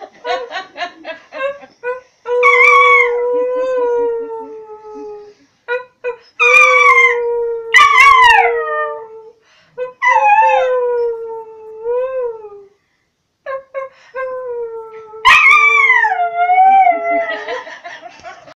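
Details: Miniature Schnauzer singing: drawn-out howls with wavering, sliding pitch, broken into several phrases with short yips between and brief silences, plus a few sharp clicks.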